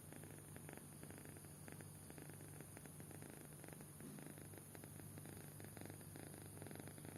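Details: Soundly sleeping kitten giving a quiet, low, buzzing snore, rhythmic rough pulses running without pause, soft breath noise on top and a steady background hum.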